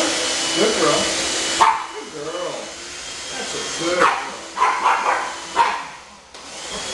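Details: Pug puppies Otis and Gucci bark indoors while their mother Gracie is vacuumed with a handheld vacuum cleaner. The motor hum cuts out early, then several sharp, broadband barks come in an uneven burst, with a voice nearby.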